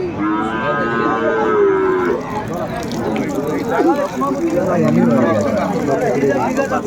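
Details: Cows with calves at Aftabganj cattle market (haat) in Dinajpur, 14 December 2024: a long, harmonic, drawn-out moo for the first two seconds, then lower lowing amid constant crowd chatter and bargaining voices.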